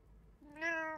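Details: One of three house cats gives a single short meow, a clear harmonic tone starting low and brightening, held steady for about half a second, in a quiet room.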